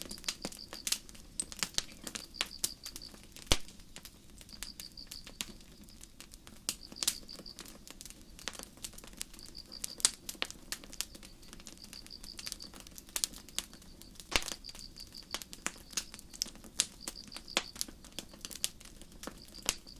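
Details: Crickets chirping on a starry night in a forest beside a campfire: short high trilled bursts of several pulses, repeated about every second and a half, over sharp, frequent crackles and pops from the burning fire.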